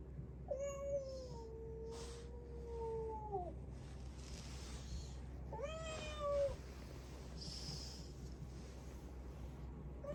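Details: Rescued black-and-white tuxedo kitten calling from a hidden spot; one long drawn-out meow lasting about three seconds, then a shorter rising-falling meow, with a constant low background hum.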